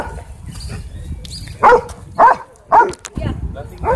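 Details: Rottweiler at a dog park, going after another dog's hamstring during rough play: three short, loud, harsh barks about half a second apart, then a softer fourth, with people's voices in the background.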